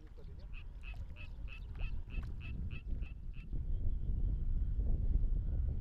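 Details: Suwon treefrog (Dryophytes suweonensis) song from inside a rice paddy: a quick run of bright, nasal notes, heard close up over a low rumble of wading and wind.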